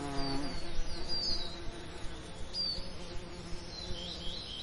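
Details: A bee's low, droning buzz rises and fades over lavender on a summer day, with faint high bird chirps above.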